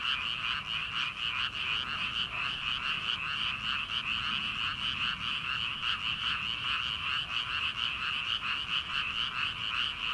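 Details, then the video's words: Frogs calling from rice paddies on an early summer night before rice planting: a dense, unbroken chorus of rapid, rattling croaks. Many voices overlap into a steady pulsing wall of sound with no pause. "초 여름 개구리 울음소리/ 논에서 들리는 개구리 소리"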